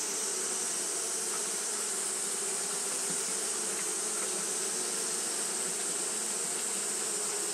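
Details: Hot-day fanning by Japanese honey bees gives a constant humming drone, low and even, with a few short buzzes flickering past and a sustained shrill hiss overhead.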